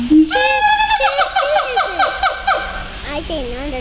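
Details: Captive siamangs at the Phoenix Zoo: a low boom followed by a loud, harmonic-rich series of rapid wavering barks about twice a second, tailing off into softer swooping notes.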